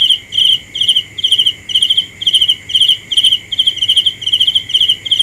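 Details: Nighttime cricket chirps, rapid pulsed trills repeated roughly every half second in an even rhythm, with a constant faint insect drone beneath.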